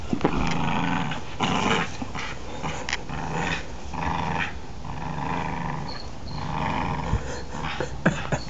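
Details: A pit bull attacks a three-year-old child and makes rough, repeated growls in rapid bursts. Adults shout urgently to pull the dog off.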